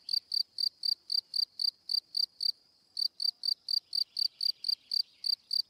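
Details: Cricket chirp train of short sharp high pulses, around four per second, with one half-second gap midway, then continuing evenly; faint softer chirping underneath.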